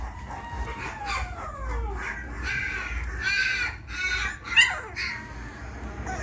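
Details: Young Labrador Retriever puppies, three females twenty days old, with a long descending whine that drops in pitch over a second, followed by shorter squeaky yelps and one sharp upward squeal above a low hum.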